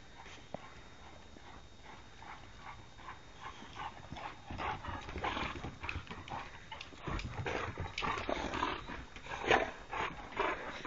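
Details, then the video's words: Three Boxer dogs playing roughly together; quiet at first, then from about four seconds a run of harsh, breathy growls and snorts that grows louder and denser toward the end. "Three wild and crazy boxers"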